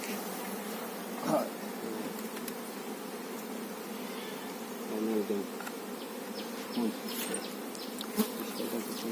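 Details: Honey bees buzzing at a farmed hive where the queen bee is being shown; a continuous low droning hum runs throughout, broken by brief clicks and handling knocks.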